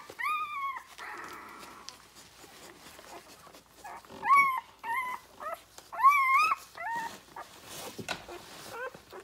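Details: Nursing Rhodesian Ridgeback puppies, six days old, litter born 9/3/2020: scattered short wavering whines and squeaks, louder bursts around the middle, with soft rustling and suckling between.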